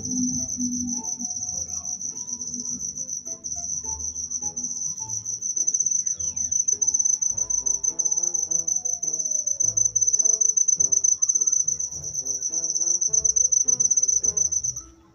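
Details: Continuous shrill cricket trill at a constant high pitch with no pause. Quiet lower tonal sounds, a slow descending whistle midway and soft low knocks sound in the background.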